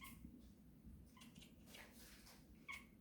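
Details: A Bengal kitten gives three short, bird-like chirps while hunting, spaced about a second apart, over a low room hum.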